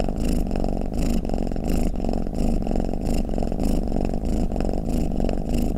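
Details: A domestic cat snores in a deep, droning rumble. Each breath adds a brief brighter pulse roughly twice a second, giving an even, lulling rhythm with nothing else audible.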